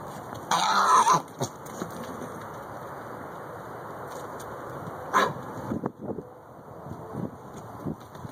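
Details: A baby mule, live and enjoying himself, gives a loud harsh burst of noise lasting under a second near the start, then a few short snorting bursts later, over a steady background hum.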